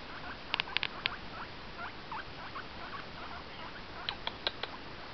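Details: Pet guinea pig calling indoors: short faint squeaks around the middle range with a few brighter high clicks near the start and end, over a steady background hiss.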